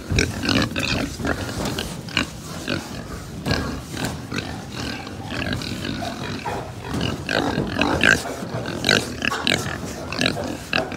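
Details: Pigs at a pig farm in Japan, continuous low grunts and snuffles from many animals, punctuated by clacks and bangs of pen equipment and a couple of short high squeaks.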